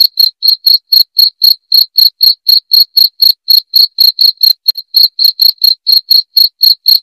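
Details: Cricket sound used to scare off rats: shrill, evenly spaced chirps at about four per second, with one brief stutter midway, against total quiet.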